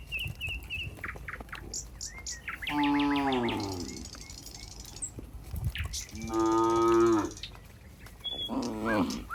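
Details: Cows in a barn as a cowherd approaches: two long, wavering moos about four seconds apart, a softer low at the end, and bird chirps in the background.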